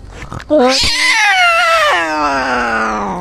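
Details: Injured cat in a forest setting giving a long, loud harmonic yowl that starts after a short rustle, rises quickly, holds steady, then slowly falls in pitch over about three seconds.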